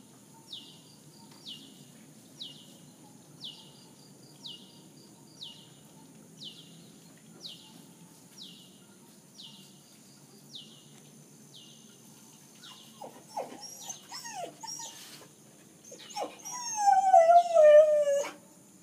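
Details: Denver, a nine-month-old Samoyed, on a balcony early on a Sunday morning after sunrise, howling and crying because he wants to go out. High, evenly spaced chirps repeat about once a second, then whines build into a loud, wavering, falling howl at the end.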